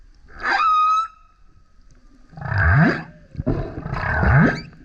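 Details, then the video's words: Singing male humpback whale close to a kayak: a short flat whistled tone is followed by two deep, rough roaring grunts rich in low rumble, each lasting about a second. "Singing Whale is LOUD - BURPS, GRUNTS, HOWLS + ROARS! Listen as he comes up singing next to kayak"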